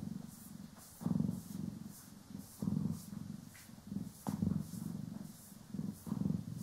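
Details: Steady low purring from pet cats Poki and Kiwi as they are brushed and groomed, pulsing in breathy waves with occasional crisp brush sweeps cutting through; stereo recording.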